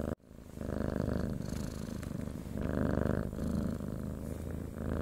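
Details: Purring domestic cat for falling asleep, a continuous low pulsing rumble rising and easing with each breath in and out, close and steady throughout.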